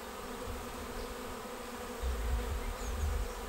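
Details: Swarm of honeybees caught in a bait hive on 19 May, arriving and going straight into the trap; continuous many-winged hum, louder low rumble swelling after the midpoint.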